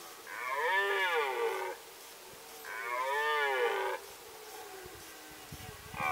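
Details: Two long, powerful roars from a red deer during the 2018 rut in the Sandomierz Forest. Each is about one and a half seconds of rich, wavering tone, separated by a short pause, with a third roar just beginning.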